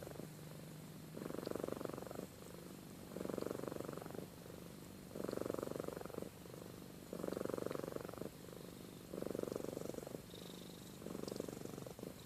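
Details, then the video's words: Domestic cat Amy, asleep and snoring, gives a deep rhythmic purr: loud rumbling bursts of about a second recur every two seconds, separated by fainter purring, with a faint high squeak near the end. "Compilation of Amy Purring & Snoring"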